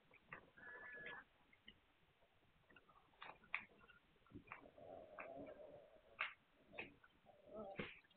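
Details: Hungarian Vizsla puppies, recorded 9 March 2021: thin, high whimpering squeaks, including a steady whine near the start and a lower drawn-out whine midway, mixed with scattered clicks and soft rustling bumps; quiet overall.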